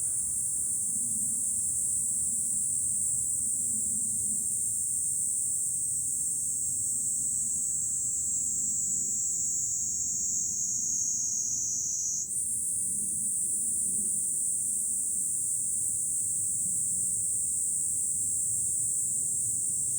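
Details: July cicada chorus recorded from a high lookout above Fukuoka city, Japan; a continuous piercing, hissing whine that slowly sags in pitch, then jumps back up midway, steady and unbroken, with soft low background hum.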